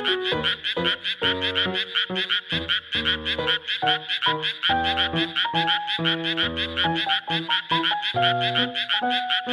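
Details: Chorus of Japanese tree frogs in a rice paddy during the flooding season: continuous fast, grating pulsed croaks, densely overlapping and rhythmic, with steady background music throughout.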